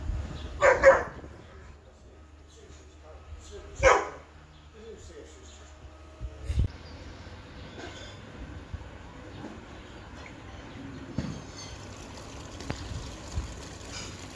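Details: Dogs Montana and Lola, a Labrador and a Leonberger, playing together in a garden: two loud, sharp barks, one near the start and another about three seconds later, followed by quieter rustling and a person talking.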